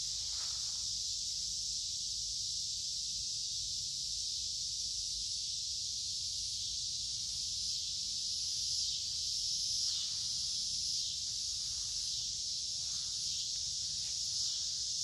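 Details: Many noisy cicadas in summer woodland beside a creek on a warm, humid day: a steady, dense, high-pitched buzzing wall of sound, swelling slightly now and then, with soft rustles underneath.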